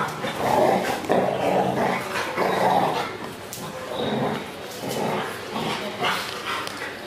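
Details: Cross-bred dog, golden retriever with Belgian Malinois, making rough growling grumbles and throaty barks in repeated bursts of about a second, with human speech and light knocks in the background.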